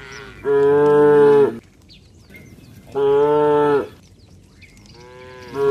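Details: A tame cattle herd walks home along a rural road accompanied by its herder. Two loud, steady, rich moos about a second long arrive roughly two seconds apart, and a third begins at the end.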